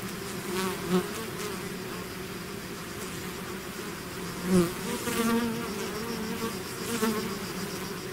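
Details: Honeybees swarming out of their hive produce a steady droning buzz, punctuated by several close flybys that swell loudly for a moment, notably around the first, fourth and fifth seconds.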